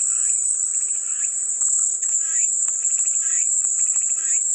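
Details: Relentless high-pitched cicada drone with frequent lower chirping, ticking bursts scattered across it and a soft continuous hum below.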